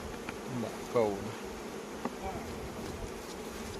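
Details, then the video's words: Honey bees buzzing at a Khmer farm during the Kor flower honey season: an unbroken low drone from many bees, briefly overlaid by a short spoken word and a soft click. "ទឹកឃ្មុំរដូវកាលផ្កាគរ ទឹកឃ្មុំកសិដ្ឋានខ្មែរ"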